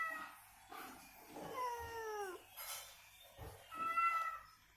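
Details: Indoor cat calling back during its recovery, provoked by the same cat sound. One clear downward-sliding meow is followed by a shorter, flatter mew. Faint rustling and soft room noise fill the gaps.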